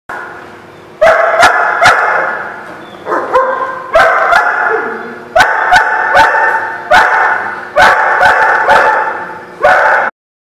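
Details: Dogs barking on 28 March 2016, a loud, busy run of deep, ringing barks coming in quick bursts and clusters for about ten seconds, several overlapping, with brief pauses between volleys.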